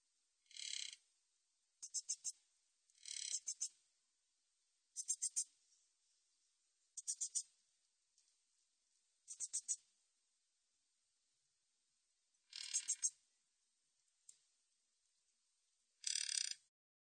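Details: Min's bush cricket, 2020 recording: a repeating pattern of short hissing buzzes and quick groups of three or four dry clicks, high-pitched and insect-like, in otherwise silent surroundings.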